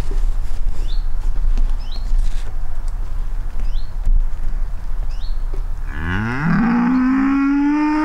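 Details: Horned cattle on a pasture, bellowing through half the night and again in the morning: a steady low rumble with a bird's short repeated chirps, then a deep, drawn-out bellow that swells and rises in pitch with rich harmonics.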